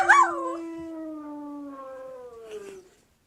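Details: Pet Siberian Husky puppy giving a single sustained howl that opens with a quick wavering rise, then holds a steady tone and slowly drifts lower for nearly three seconds before fading.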